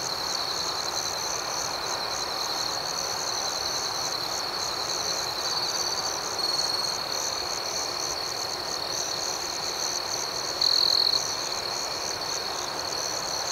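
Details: Nighttime crickets keep up an unbroken high trill. Rapid, irregular higher chirps pulse over it, and two brief louder bursts swell out, around the middle and late in the clip.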